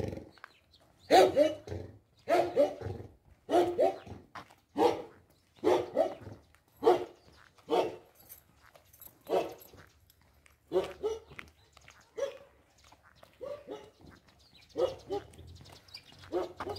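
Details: Siberian Husky puppy named Blue Moon Lunation, nearly six months old, on an ordinary walk, giving loud harmonic bark-howl bursts about once a second, spaced more irregularly toward the end, with faint low background rumble.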